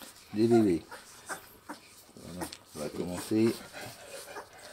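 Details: Two-week-old Saint Bernard puppies from the litter of Shanell and Ralf at the Mas de Jalnot kennel, indoors at bottle-feeding time; two short, tonal whining whimpers open the clip and return near three seconds, with soft human voices and rustling between.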